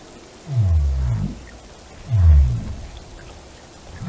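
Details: Whale song: two deep, low moans about a second long, each swelling and fading, spaced roughly 1.5 seconds apart over a steady hiss like rain.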